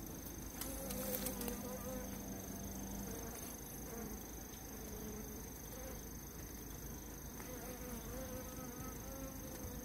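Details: Many honey bees hum in a dense, steady, slightly wavering drone as they band together to attack and kill an Asian giant hornet.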